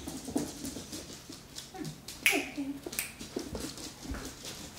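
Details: Bruno, a 12-week-old beagle puppy, during his morning routine of obedience commands; short soft whines and whimpers sliding in pitch, with clicks and a person giving spoken commands.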